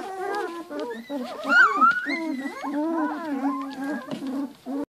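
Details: Young Giant Schnauzer puppies, two weeks old, whine steadily on a low, sustained tone. Higher rising and falling squeals break over it, and the clip ends in a short final whimper.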